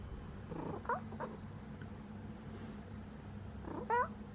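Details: A sleeping pet cat gives a low, steady purring rumble, broken by two short rising meow-like chirps, one near the start and one near the end.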